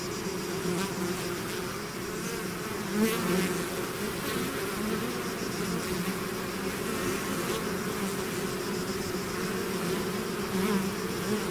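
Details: Honeybee swarm buzzing out of its hive: a dense, steady drone of many overlapping wingbeats, low and humming, with brief louder passes of individual bees close by, continuous throughout.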